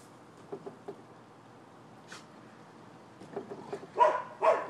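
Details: Neighbors' nuisance dogs in Florida, 12/7/15: faint distant yapping builds into two loud, harsh barks at the end.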